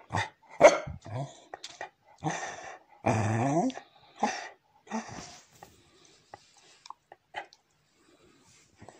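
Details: Pembroke Welsh Corgi begging for ice cream. It gives short barks and grumbling yelps, then a drawn-out, harmonic, whining grumble near the middle, followed by a few softer yelps. A woman's voice teases it in Russian.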